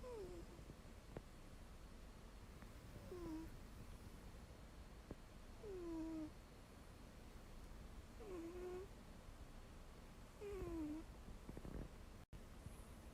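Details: Ragdoll cat sound asleep, using another cat's rump as a pillow, snoring with squeaky whistled breaths: short downward-sliding squeaks about every two and a half seconds over a steady low hiss.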